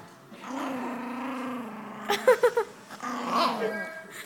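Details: Miniature Yorkshire Terrier weighing two pounds guards food from the other household dogs with a sustained low, even growl, then a burst of rapid high yaps and a final rising snarl.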